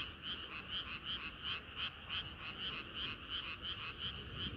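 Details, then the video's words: Frogs in full chorus on a warm summer night, one rhythm of bright croaks repeating about three per second while countless others blend into a constant murmur. "개구리들의 합창은 끝이 없어라"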